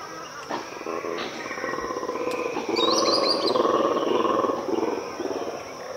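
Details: Black and white colobus, or mantled guereza, in an Ethiopian cloud forest at dawn: a dense, pulsing low roaring chorus builds and swells for several seconds, with a brief higher whistled bird note above it.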